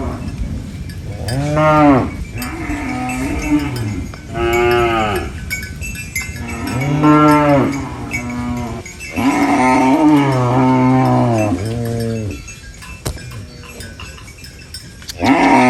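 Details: Cows on a rural farm mooing while eating banana leaves; several long, harmonic moos rise then fall, overlapping one another, with short breaks between calls and a steady background hiss.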